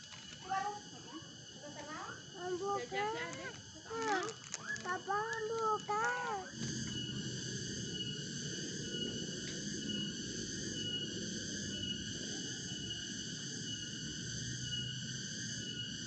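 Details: A cicada holds a steady, shrill buzzing drone on an afternoon in a Sundanese home village, with a child's voice chattering over the first few seconds; published 17 April 2021.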